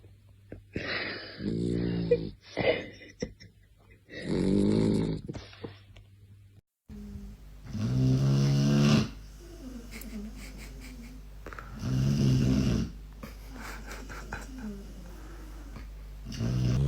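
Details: A sleeping dog snores loudly in a small room: long, wheezy, buzzing inhalations every two to three seconds, some with a squeaky whistling edge, separated by soft exhalations.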